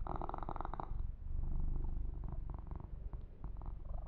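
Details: Male kitten purring while being massaged and groomed indoors: a steady low rumble runs throughout, with a bright rustling burst of fur stroking in the first second and softer brushing sounds later.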